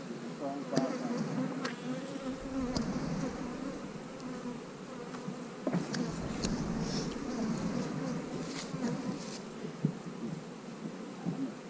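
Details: Honey bees buzzing while hives are split, with a queen cell in the splits: a dense, low hum with a fuzzy band beneath, broken by scattered sharp clicks and knocks from handling the equipment.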